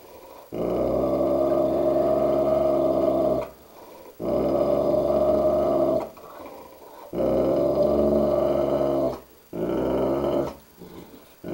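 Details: Dogue de Bordeaux confronting its reflection in a mirror, giving four long, low, rumbling growls of two to three seconds each, separated by short pauses for breath, steady in pitch throughout.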